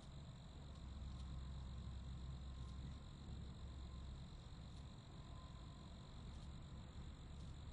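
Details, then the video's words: Steady high-pitched cricket trilling, an unbroken chorus with slight regular pulses, over a heavy low-frequency hum throughout. "Royalty Free Sounds (Crickets)"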